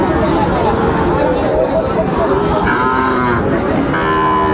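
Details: Market cattle at Raniganj haat, Chapainawabganj, on a crowded Thursday in September 2024. Short lowing calls rise near the end beneath dense background chatter from traders and buyers.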